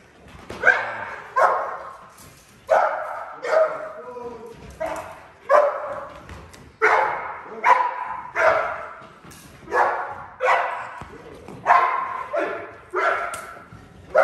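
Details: Eleven-month-old Neapolitan Mastiff during foundation protection training, giving deep, loud barks in a steady series roughly every second, with brief gaps and faint human voices in between.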